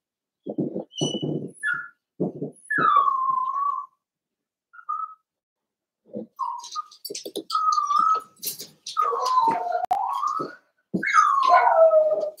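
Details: Indoor home pen with Daisy's seven-week-old Cavalier King Charles Spaniel puppies: soft low murmurs and rustling, then a run of whistled whines rising and falling, some wavering, a last cry sweeping down at the close.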